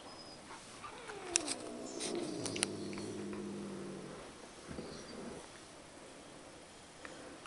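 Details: A domestic cat lying in bed, still wary of a second cat it dislikes, produces a soft, low rumbling growl of about three seconds, faint, with light rustling sounds around it.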